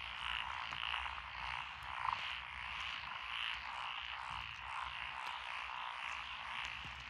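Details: Frogs chorusing in lotus rice paddies beside a country road in Echizen, Fukui, Japan, 12 June 2021; the mix includes Japanese tree frogs, pond frogs, wrinkled frogs and green tree frogs. A dense, continuous wall of overlapping croaks, with a brief louder pulse near two seconds.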